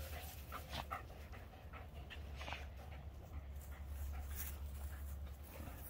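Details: Voodoo, a Keeshond, and Tasha, a Greyhound, tugging on a toy ball together, recorded 3/21/2021; quick airy panting bursts mixed with rustling play noises over a constant low hum.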